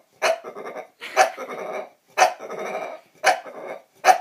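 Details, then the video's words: A female bulldog makes dinosaur-like noises of her own accord: rough, raspy growling roars in five bursts, each starting with a sharp onset and trailing into a drawn-out gravelly rumble. "Bulldog making dinosaur noises"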